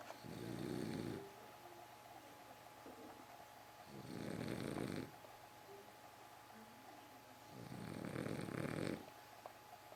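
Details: Rhythmic snoring from a French Bulldog, three long, gravelly snores roughly every four seconds, faint squeaky whistling breaths between them over a constant low hum.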